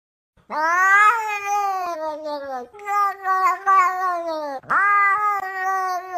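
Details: Loud, long drawn-out cat yowls, each held for around two seconds, wavering in pitch with a strained, whining tone. A sharp rising onset opens the final call. The recording is otherwise clean and quiet.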